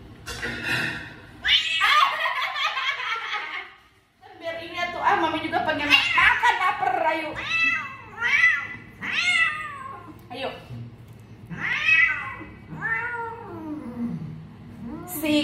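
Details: Angry odd-eyed house cat Owie yowls indoors: a run of short arched meows, each rising then falling, coming roughly every second in the latter half, mixed with human voices talking over the cat.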